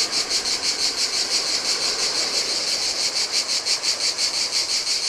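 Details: Heat-loving cicadas calling by the sea on a deserted Greek island beach, Adriatic coast; sharp, pulsing buzz repeating about three times each second, clearly over a low murmur of waves.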